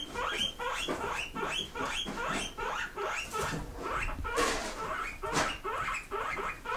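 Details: Several pet pigs kept indoors squeak back in reply when teased about wanting grass; short squeaky bursts repeat about twice a second, uneven in rhythm, with a man's voice coaxing them nearby.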